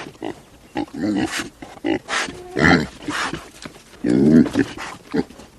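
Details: Pig making short, rough, broadband grunts and snorts in irregular bursts, about one every second or two, with a few brief higher squeaky notes mixed in.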